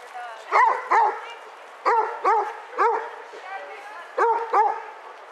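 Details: Basset Hounds, one of eight out on a group walk at Burghead Bay near Elgin, Scotland, on 7 September 2014, giving loud deep barks in quick pairs, three bursts of two or three barks over a few seconds, with people talking and wind behind.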